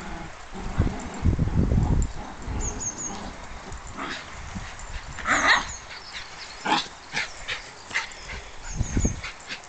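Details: Heidi, a rescue terrier cross thought to be Border Terrier and Whippet, tugging with the Border Terrier puppy Gizmo; a loud burst of deep growling early on, then snorting huffs and short rough vocal bursts spaced irregularly.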